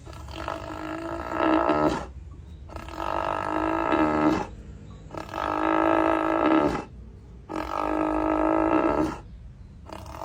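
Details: Cow snoring: four long, harsh, rasping breaths, each lasting about two seconds, rise and fall in a steady rhythm with short quiet gaps between them.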